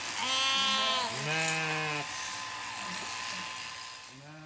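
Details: Zwartbles lambs and their shorn ewe on a regenerative farm in County Kilkenny, Ireland; a thin, high lamb bleat runs straight into a deeper, steady adult bleat, then quieter calls and a short high bleat at the end.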